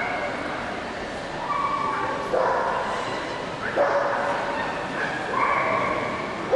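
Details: An Akita at the 2007 CACIB Poznań international dog show gives a few spaced, strident barks over a background of people talking in a busy exhibition hall.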